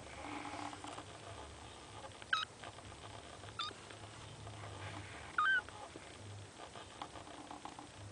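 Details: Two short, high squeaks stand out against a low steady hum as kitten Linda calls to her three sleeping siblings, trying without success to rouse them; faint rustling fills the gaps.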